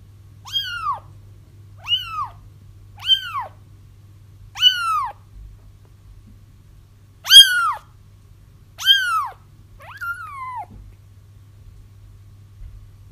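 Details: Kitten cries for luring a feral mother into a trap: seven high, arched meows, short and quick at first, then louder and longer, the last one wavering as it drops, over a steady faint hum.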